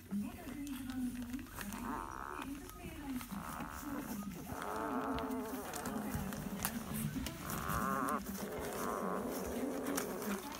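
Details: Eleven-day-old Weimaraner puppies give several drawn-out, high whining squeals, each lasting about a second and spaced irregularly, over a steady, low, wavering hum and scattered rustling.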